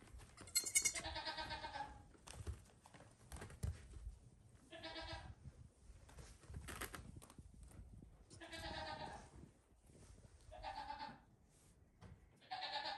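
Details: Five-day-old goat kids running and playing in a farm stall area at bedtime; clear quavering bleats in short bursts every two to three seconds, with clicks, thuds and rustling between.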